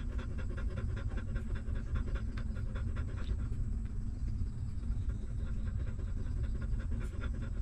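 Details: Hungry newborn puppies suckling from their stray mother dog; rhythmic sucking pulses repeat rapidly, easing briefly around the middle before resuming, with a steady low-pitched rumble underneath.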